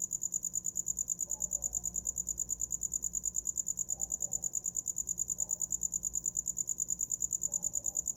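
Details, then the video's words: Steady, rapid, high-pitched pulses from a cricket, about three per second, running without pause. Faint low sounds come and go underneath at intervals. "Som de grilo para dormir"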